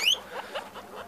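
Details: Improved giant-breed female guinea pigs of the Peru, Inti, Andina and Inka lines on a breeding farm in Peru, August 2015; a short high rising squeak opens, followed by a few soft lower chirps.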